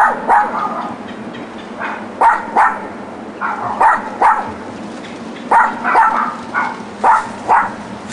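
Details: Neglected neighbourhood dogs alone in a back yard, weekday daytime; paired sharp barks repeat about every one and a half seconds with short gaps, over faint steady background noise.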